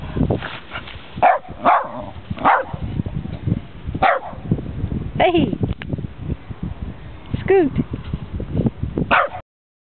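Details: An elderly West Highland White Terrier, 12 years old, barks and yips during play. Short sharp barks come at irregular intervals, and rising whiny yelps near the end, under a person talking to the dog.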